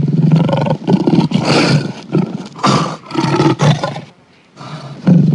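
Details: Lion (Panthera leo) gives deep, rasping roars in a series of loud bursts with short pauses, a call used to announce location, show strength and intimidate rival prides.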